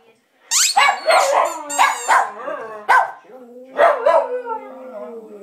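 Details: A 2-year-old Lhasa Apso "sings" in a run of sharp yelps that stretch into wavering, howl-like notes, each rising sharply then sliding into a tuneful moan, with a longer drawn-out howl near the end.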